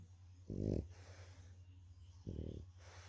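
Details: A tired French Bulldog, napping after a walk, snores in low, rattling bursts, each breath a second or two apart.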